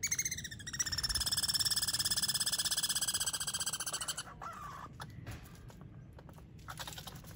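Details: Squirrels squabble over peanuts, with only enough for one; a loud, buzzy, pulsed squeal rich in harmonics runs for about three seconds, then fades to softer, scattered chirps and rustling.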